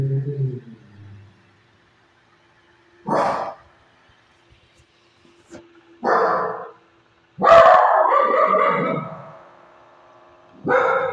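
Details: A Shih Tzu gives short barks, then a drawn-out, wavering howl that slides down in pitch, in response to another dog's bark.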